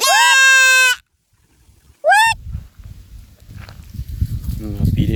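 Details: Goat giving a loud, strained bleat with a wavering pitch that lasts about a second. A shorter rising bleat follows after a pause, then people talk and there is rustling handling noise.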